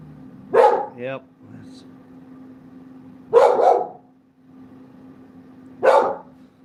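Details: A dog barks in three short, harsh bursts spaced about two and a half seconds apart during gold mining; a brief human voice follows the first bark and a steady low hum runs underneath.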